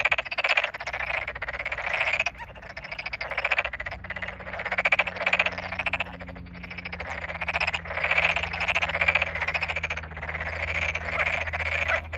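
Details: Chorus of Tokyo Daruma pond frogs in flooded rice fields in the Japanese satoyama, recorded 8 May 2022: dense overlapping rapid pulsed croaks, mid-pitched and grating, rising and falling in waves with brief lulls, a low steady hum beneath.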